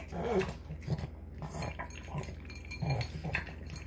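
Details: Marky, a Boston Terrier, eating his tuna, egg and kibble dinner with piglike snorts; a few rough, breathy snuffles and gulps spaced about a second apart against a low background hum.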